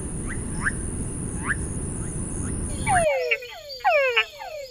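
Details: Túngara frogs calling: several short, whining calls that sweep downward in pitch, overlapping one another, over steady high-pitched hum and broadband background noise that drops away partway through.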